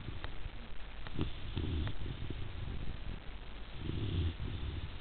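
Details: Rhodesian Ridgeback puppy Zuri, almost three months old, dozing with two short, low snoring breaths, the first around the middle and the second near the end, plus faint soft clicks in between.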